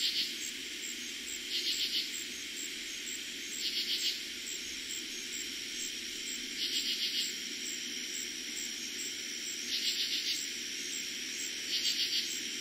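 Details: Katydids calling after dark in eastern Pennsylvania, first heard that summer of 2021: six harsh pulsed phrases spaced about two seconds apart, each a brief chattering burst, set against an unbroken high-pitched cricket drone.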